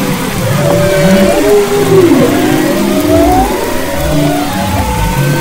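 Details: Humpback whale song from the west coast of Maui, February 2011: long drawn moans sliding downward and rising whistled sweeps, several voices overlapping above a low underwater rumble.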